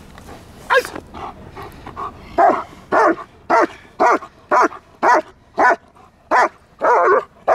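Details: German Shepherd barking during protection-style training under a handler's control: a run of loud, sharp barks, about twelve in close series, fairly evenly spaced, with a handler's commands faintly in the background.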